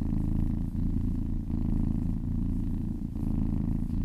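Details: Kitten purring while being massaged, a steady low rumbling purr with breath phases alternating roughly every three-quarters of a second, each inhale and exhale slightly shifting the tone.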